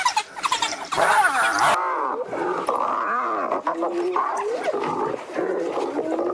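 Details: Spotted hyenas threatened by wild dogs, giving a dense chorus of overlapping squealing, wavering calls that rise and fall in pitch. A loud burst with a thin high whine fills the first two seconds, then calls continue steadily.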